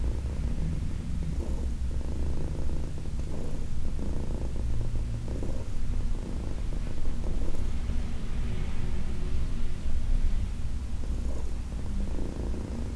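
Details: Heidi, a senior cat, rumbles contentedly while massaged on August 4, 2021; thick low purring runs throughout with slightly uneven swells and faint breathing.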